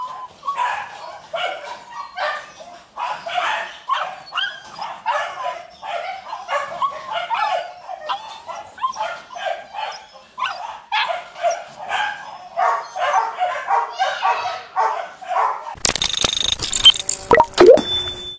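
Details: Purebred Rottweilers at a breeding kennel giving continuous overlapping barks, several dogs calling at once in quick rough bursts, ending with a loud metallic rattling clatter over the last few seconds.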